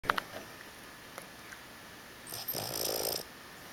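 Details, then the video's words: A seven-month-old Boston Terrier gives a single raspy, rattling snore after a couple of faint clicks. "Boston terrier snoring"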